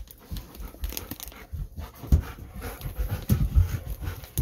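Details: Golden Retriever home from a night walk and asking for snacks; short, quick panting breaths repeat steadily over a few seconds, with a couple of louder huffs near the middle and end.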